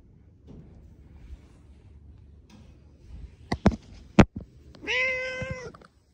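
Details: Domestic cat in a park in Adachi, Tokyo, Japan, December 2022, walking beside its owner and trying to climb onto a lap; a few sharp knocks and handling noises, then one long steady meow near the end.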